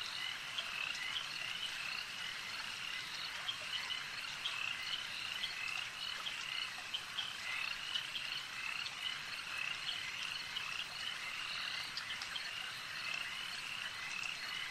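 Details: Frogs calling together at a lake: a thick, unceasing chorus of high rasping croaks holds steady throughout, punctuated by frequent short clicks and snaps.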